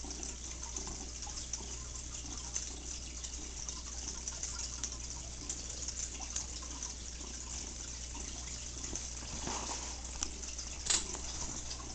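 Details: Steady low hiss of running water, like a tap filling a sink, with soft drips and a brief louder splash near the end; no animal voice is heard.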